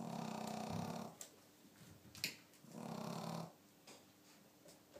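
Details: Pet cat snoring indoors, recorded 2 April 2012: soft, breathy, rasping snores about a second long, two of them with a quiet gap between.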